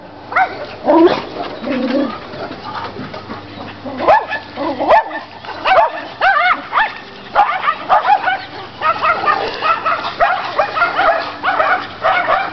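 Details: A Chihuahua and a Rottweiler bark and yip in quick bursts, with higher whimpering notes between, in a daily play game with the neighbour's dogs.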